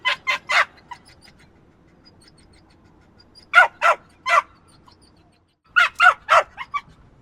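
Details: Small yappy dog barks in quick triplets of shrill yaps, then falls quiet for a couple of seconds before another burst of three to five.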